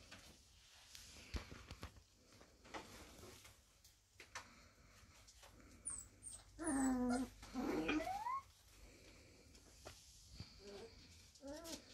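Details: Four-week-old Samoyed puppies from a Christmas litter at a kennel, indoors; a few drawn-out, wavering whines rise and fall in pitch midway through, with soft rustling and quiet stretches around them.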